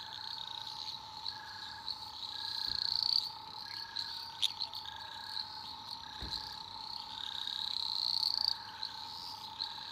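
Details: Eastern dwarf green tree frogs at night, Australian rainforest: shrill overlapping trills form a continuous high wash, two brief rising calls stand out, with a steady drone, rhythmic dashed pulses and a couple of low thumps.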